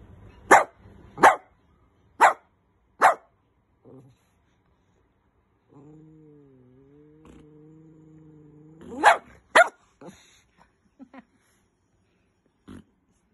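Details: Angry toy poodle barking at its owner: four sharp yappy barks about a second apart, then a drawn-out whining tone, two more quick barks and scattered small yips, with a person speaking afterwards.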